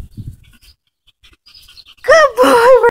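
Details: Toy Chihuahua on a walk, coaxed with low spoken words, then after a quiet pause giving a loud, wavering, tonal whine with strong overtones that lasts under a second.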